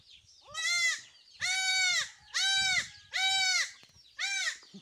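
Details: Goat on a farm where young kids are vaccinated against illness and a newborn is present: five loud, wavering bleats, each roughly half a second to a second long, separated by short pauses, over a quiet background.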